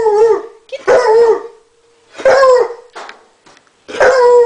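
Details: Female hound dog baying at a turtle she wants to play with: three full-throated bays falling in pitch, separated by short pauses, with brief spoken encouragement in between.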